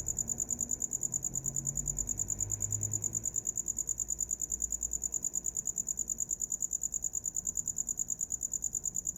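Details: Insistent cricket chirping for sleep, a thin high-pitched pulse train at about three beats a second, regular and unbroken, with a brief low rumble early on.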